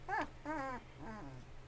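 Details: Bullmastiff puppy, 2.5 weeks old, from a newborn litter: three drawn-out whining cries, the first two sliding upward then falling, the last fainter and lower, over a low indoor hum.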